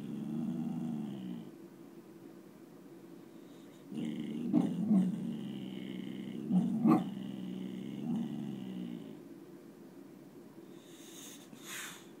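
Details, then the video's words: Chloe, a nine-month-old boxer puppy growling at nothing out the window, makes a deep rumbling growl broken by several louder, rougher surges in the middle, then settles back to a softer rumble and ends with a brief breathy sound. "Chloe growling at nothing"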